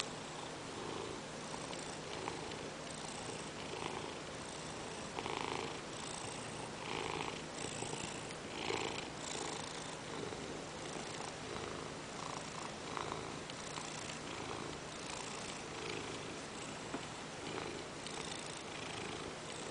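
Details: Ragdoll cat purring on its owner's lap while demanding petting indoors; continuous rumbling purr with soft pulses roughly every second and a half, steady throughout.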